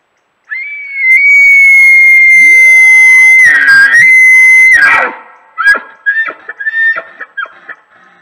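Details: Big bull elk bugling, recorded during elk season: a loud, sustained high whistle held level for about four seconds with a brief break, then a rough broken tail of grunting, squealing notes.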